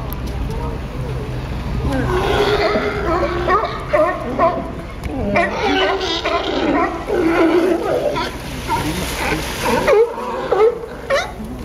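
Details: At Pier 39, Fisherman's Wharf, San Francisco, sea lions in a fight produce a dense chorus of hoarse, wavering barks and growls that overlap continuously, with water sloshing and splashing beneath.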